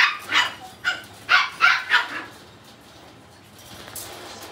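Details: Puppy weighing two kilograms giving a run of five short, sharp yapping barks in quick succession over about two seconds, then quiet with faint room noise.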